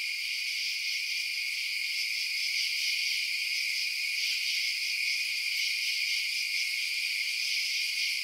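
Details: Crickets chirping at night: a dense, unbroken high-pitched shimmer from many insects, steady in loudness throughout, with no separate chirps standing out and no other sounds.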